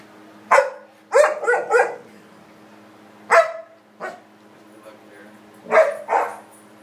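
An English Springer Spaniel gives excited, bursting barks, some in quick runs of three.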